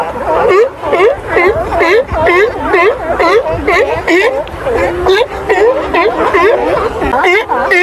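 Sea lions call over one another, a steady chorus of bleating, dipping cries repeated about twice a second.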